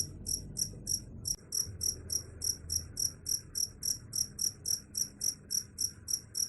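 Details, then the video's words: Steady cricket chirps, sharp high-pitched pulses repeating roughly three times a second over a low background rumble. "Suara Jangkrik"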